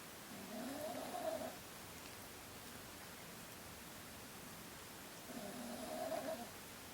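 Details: Kasumi, a pet Chihuahua, snoring while a curious cat named Ohagi looks on: two soft, droning, breathy snores about five seconds apart with a low tonal hum, quiet room between breaths.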